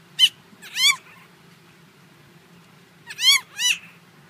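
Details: Tiny four-month-old Chihuahua puppy indoors, nipping playfully while being handled, gives shrill, sharp yelping barks in two quick pairs about three seconds apart, with a faint low hum throughout.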